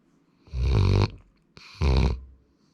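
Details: Two rough, low snores, each about half a second long and a second apart, come from Sora, a young male Labrador Retriever dozing at home.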